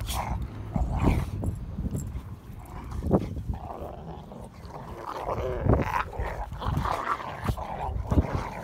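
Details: Three pet Rottweilers, Bonnie, Clyde and Cruella, playing and fighting together: a continuous stream of low, throaty growls broken by rough, gruff bark-like bursts and snorts. The surge is strongest around one, three and six to eight seconds.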